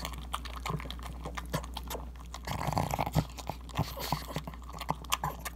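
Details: Niko the pug, a female, eating ground beef for breakfast, recorded on an iPhone 7: crunchy bites and smacking chews interrupted by short low grunts, with a louder burst of slurping midway.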